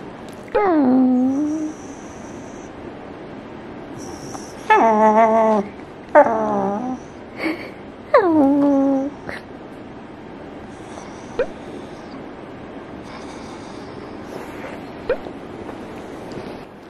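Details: Adult female Pembroke Welsh Corgi pet chatters indoors with human-like intonation, giving four long, sliding, moan-like whines that dip and rise in pitch, then softer short sounds, in a quiet room.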